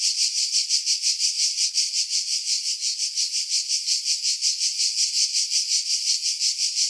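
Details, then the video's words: Cicadas in July 2018 in pines over Pefkos Bay, Skiros, Greece, produce a continuous piercing buzz with even, rapid throbs about three per second; wind noise filtered out. "Cicada Sounds, July 2018 Skiros, Greece"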